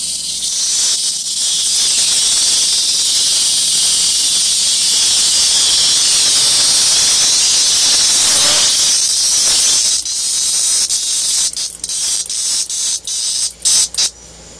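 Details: Cicada drawn at night to a lit balcony, where Minerva the cat plays with it: a loud, continuous high shrill buzz for about ten seconds, then breaking into short choppy bursts.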